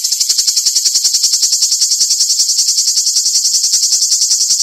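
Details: Live cicada song: a shrill, high-pitched rasp pulsing quickly and regularly, about three to four beats a second, loud and unbroken throughout with nothing else audible.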